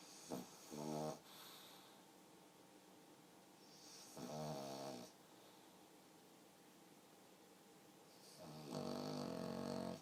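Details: A sleeping pug snoring indoors, its snores sounding almost human: three rasping, harmonic snore bursts about four seconds apart, each lasting under a second, with quiet breathing between.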